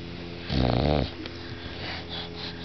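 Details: Sleeping bulldog snoring indoors: one deep, rattling snore of about half a second, low and buzzy with many stacked tones, followed by quiet breathing.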